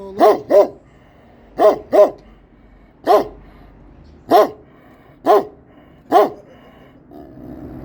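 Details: Barking Kangal guarding its area in Turkey: loud, deep barks in pairs and singles, about eight in eight seconds, spaced roughly a second apart over a quiet background with faint low rumble.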